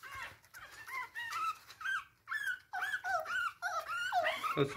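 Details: Chihuahua puppy trying to get into bed indoors, giving a run of thin, wavering whines and squeaks about twice a second while a person speaks encouragingly in the background.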